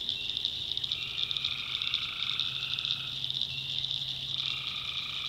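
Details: Nighttime swamp in the North Carolina backwoods as tree frogs give long, even nasal calls of two to three seconds, with a throbbing high-pitched chorus behind.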